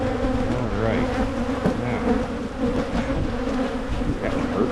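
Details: An open hive of honeybees, split in Michigan to keep it from swarming, gives a continuous deep buzzing drone. Faint knocks and handling noises sound under the steady hum.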